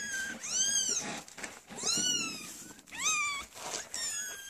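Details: Three-week-old Maine Coon kittens, males cameo with white and red, recorded 9/10/13, give four clear, high, arching mews about a second apart, each rising then falling, with soft rustling between the cries.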